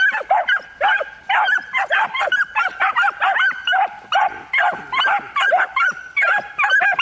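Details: One-year-old miniature wire-haired dachshunds (male, female and one more) bark in rapid, high, yappy bursts, a few every second, during a hunting-prep training session stimulating barking and prey drive.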